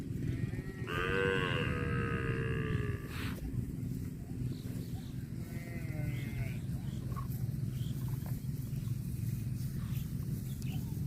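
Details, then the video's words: Cow eating grass gives a long harmonic moo lasting about two seconds, followed by a shorter, fainter moo near the sixth second, over a steady low rumble of background noise. "COW SOUND EATING GRASS COMPILATION - COW MOOING"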